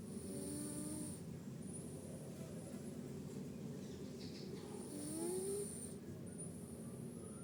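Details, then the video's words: Sleeping cat snoring, a steady low rumbling drone with a fast pulsing texture running throughout, while birds chirp and whistle faintly in the background. "Kucing tidur mendengkur"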